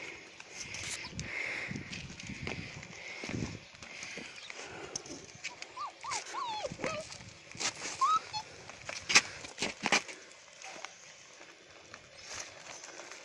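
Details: Alaskan Malamute puppies, recorded 9 February 2017, give short, high, rising whimpers among bumps and rustling.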